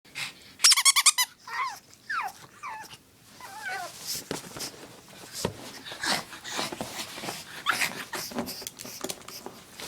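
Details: Oscar, a pet dog indoors, wanting to play with his favorite chew toy: a burst of rapid high squeaky pulses, then several short rising-and-falling whines and a wavering whimper, fading into soft rustling and shuffling sounds.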